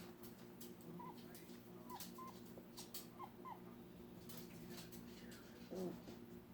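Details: Archer the dog, upset, makes a few scattered short squeaky notes with a bent pitch, spaced about a second apart, followed by a brief lower vocal sound near the end, over a low background hum.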